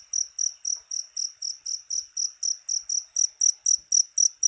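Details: Cricket sound meant to repel rats, made of bright, piercing chirps repeated nearly four times a second in an even, unbroken rhythm with no other noises.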